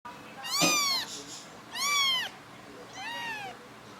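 A kitten gives three high-pitched mews, each a short rising-then-falling squeak with a clear, tonal quality. A soft thump sounds under the first call, and the background is otherwise quiet.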